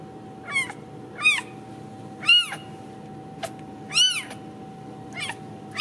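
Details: Ragdoll kitten from a central Kansas home cattery, uncaged; shrill arched mews roughly one per second, each quickly climbing and dropping in pitch, against a faint constant background hum.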